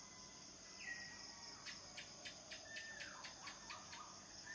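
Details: Male cicadas singing to attract mates: a steady, piercing high drone runs throughout, overlaid by a rapid series of short pulsed bursts about every quarter second, with a few bird chirps and whistles in the background.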